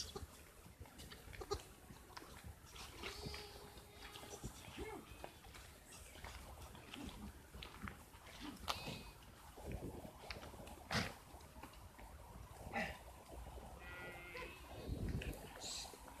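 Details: Sheep from Mandi district, kept by a herder who sells them at market, give wavering, nasal bleats scattered through the recording, partly masked by men talking in Hindi, with rustling and a few high bird chirps.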